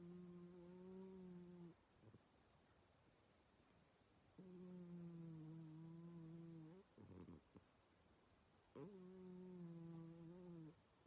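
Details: Sleeping female house cat named Mii-chan, relaxed, snoring like an old man: long, steady, humming snores with a clear low tone, each lasting about two seconds, separated by short breathy pauses.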